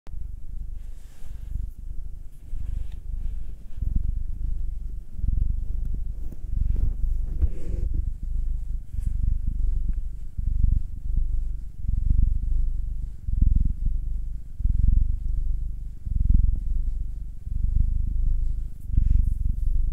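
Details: Domestic cat purring steadily while being massaged, one of two pets, a nine-year-old black male and a two-year-old female tortoiseshell-coloured Munchkin; deep rumbling pulses about once per breath cycle, swelling and fading rhythmically for twenty seconds, quiet indoor background.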